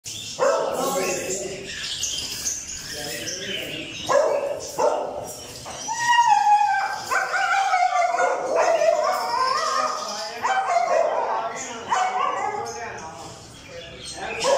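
Dogs bark in quick, uneven bursts, with a drawn-out whining yelp in the middle.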